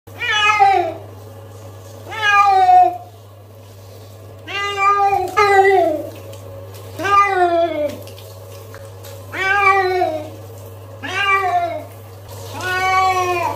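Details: Pet cat from a funny cats and dogs compilation meowing seven times, each call a drawn-out, slightly falling wail with rich overtones, spaced about every two seconds, over a steady low electrical hum.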